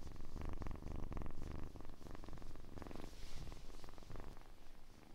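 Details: Quiet purring from a kitten, a fluttering low drone in repeated breath-length swells that gradually fade toward the end.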